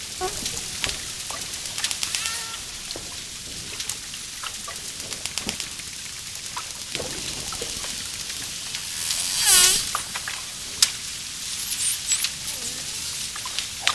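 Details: A dolphin gives scattered clicks and faint chirps, then one loud, strongly harmonic descending whistle near the nine-second mark, followed by a few more crackles and short squeaks.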